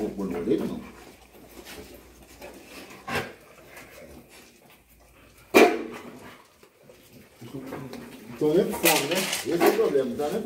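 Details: Rottweilers greeting their owners indoors, overjoyed after two days without seeing them; a sharp yelp cuts in, then a run of high, wavering whines near the end, with a man talking over them throughout.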